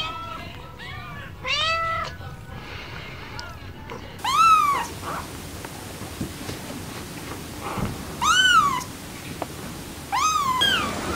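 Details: Kittens meowing, high arched mews rising and falling, a few soft early calls then louder ones around four, eight and ten seconds, spaced by quiet room noise.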